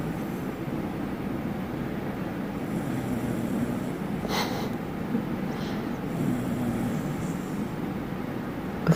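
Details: Sleeping Shiba Inu dog snoring: a soft, breathy rasp that swells and fades in slow cycles a few seconds apart over a steady low background hum.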